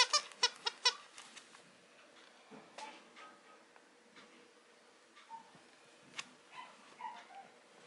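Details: A female Mame Shiba Inu puppy at a Japanese breeder gives a quick run of high, thin squeaks, then softer scattered whimpers.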